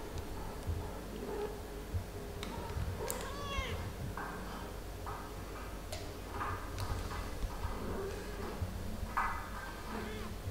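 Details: Mother cat Ophelia playing and talking with her kittens Pixel, Garfield, Bianca and Caramel indoors; a few short high kitten meows and one arching meow among clicks, rustling and handling noises.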